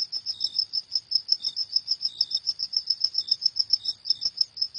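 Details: Cricket chirping at night, a steady run of short high-pitched pulses about four or five per second, each chirp clear and even, with a fainter second tone now and then and no other sounds.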